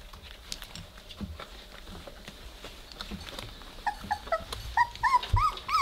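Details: Three-week-old Weimaraner puppies playing together indoors, beginning to growl; soft rustling and faint low grunts give way to a run of high, rising-falling whimpering squeaks in the last two seconds.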